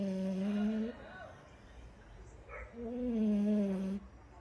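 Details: Two droning snores from a French Bulldog, each slightly wavering in pitch and lasting about a second, separated by a quiet gap of low breathing.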